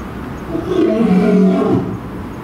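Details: Lion roaring at Tennoji Zoo, Japan, male and female calling in response to each other: a single deep, drawn-out roar swelling over about a second and a half, rough and low with a faint moaning tail.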